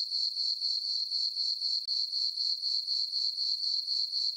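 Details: High, tinkling cricket chirps from a peaceful summer night on a farm meadow under the full moon, pulsing evenly around four per second with a brief dip near the middle.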